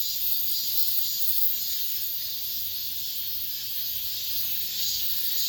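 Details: The final cicadas of summer in an apartment complex, a steady shrill high buzz with soft rhythmic surges, no other clear sounds.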